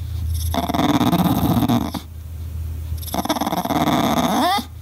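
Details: English Bulldog throwing a fit, barking and crying when no one plays with him, likened to an Ewok: two long rough grumbling growls, each about one and a half seconds, the second ending in a rising whine.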